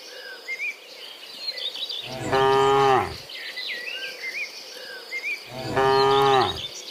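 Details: Dozens of herded cows walking home from the fields to the pen in the afternoon: two long, loud, deep moos a few seconds apart, with small birds chirping and twittering steadily in the background.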